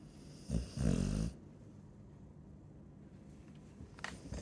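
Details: Chow Chow snoring indoors: two short low rumbling snores close together near the start, then quiet room hiss with a faint soft snort near the end.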